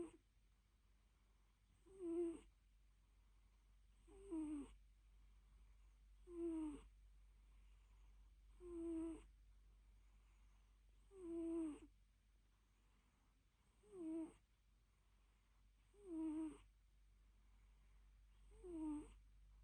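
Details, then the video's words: Napping cat breathing in loud purring snores, each breath a short squeaky, slightly falling tone with a high hiss, repeated about every two and a half seconds, eight breaths in all, over a quiet low hum. "Purring & snoring: the cutest (and loudest) nap ever"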